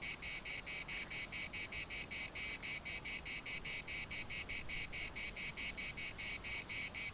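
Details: Chorus of cicadas at a municipal park in Larnaca, a loud, high, rasping buzz throbbing in even pulses roughly twice per second without pause, over a faint background hiss.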